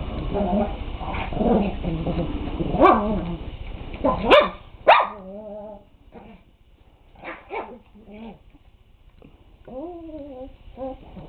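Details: Big dog Teddy growling at a puppy that is no longer intimidated: rough low rumbling growls over the first four seconds, broken by sharp barks, then high wavering whines and yelps.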